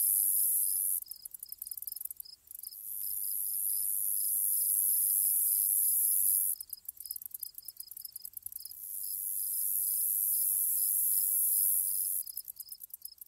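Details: Chirping grasshoppers in an ambience track. Long shrill high-pitched buzzes alternate with bursts of rapid flickering pulses, while brief lower chirps tick along regularly, a little over two per second, from start to finish.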